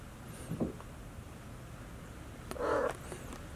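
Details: A two-month-old Maine Coon kitten, one of a brother-and-sister pair born March 22, gives a short, muffled meow in a quiet room.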